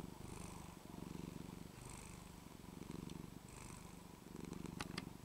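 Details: Female house cat indoors in Texas on a cold winter day, resting on her blanketed dressing-table seat, purring hard while the scruff of her neck is shaken and gently pulled back: a low, steady rumbling purr swelling in rhythmic bursts about once a second, with a few faint clicks near the end.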